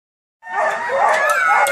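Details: Siberian Huskies at the only operating husky farm in Chile, home to about 50 dogs used for sledding: many overlapping wavering howls and yelps rising together after a brief silence, forming a dense, loud chorus.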